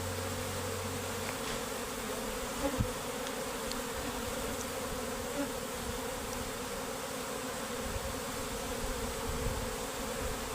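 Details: Worker honey bees deserting their hive together with the queen, giving an unbroken, dense humming drone that holds an even level for about ten seconds, with a few faint ticks and knocks.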